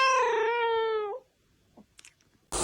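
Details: A domestic cat gives a long, drawn-out yowl, steady and then falling away, a late-night call tied to mating or territory.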